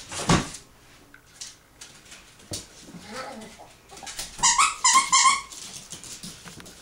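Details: A 16-week-old, 1.3-pound female Yorkshire Terrier puppy playing with her toys and with adult dogs under a door crack gives a quick run of high, squeaky yips after a few knocks and rustles.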